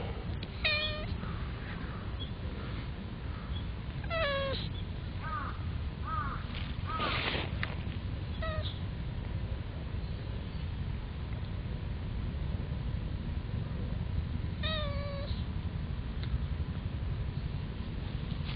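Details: Domestic cat sneezing: one sharp, explosive, breathy burst about midway, surrounded by several short, bright meows spaced irregularly, over a steady low background hum.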